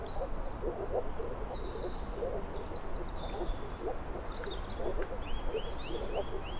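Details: Several moor frogs (Rana arvalis) give soft, hollow, low-pitched pulsed calls that overlap steadily. High bird calls and a closing run of rising chirps sit above, with a deep background rumble.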